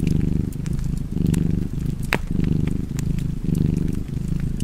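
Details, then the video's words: Steady, deep cat purr pulsing in breath-length waves near one per second, with a crackling fire adding light pops and one prominent snap partway through. "Purring Cat and Fireplace"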